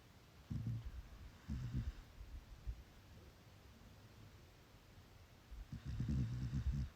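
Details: A sleeping chocolate Labrador Retriever puppy snores softly in low, rumbling bursts.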